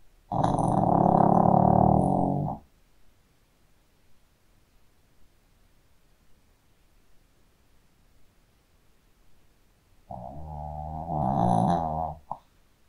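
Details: Sleeping Shih Tzu dog snoring indoors: two long, rasping, buzzy snores, each about two seconds, separated by roughly eight seconds of near silence.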